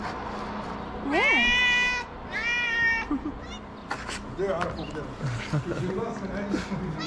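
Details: Abandoned kitten in a small Moroccan shelter gives two loud, level meows in quick succession, then softer broken mews mixed with tapping and a low human voice.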